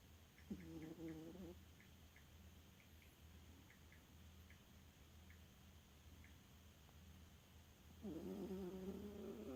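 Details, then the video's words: Sleeping dog Elfa, fond of naps and an occasional snore, lets out a short rasping snore early on and a longer, louder buzzy one near the end, with low hum and faint clicking between. "Эльфа храпунишка"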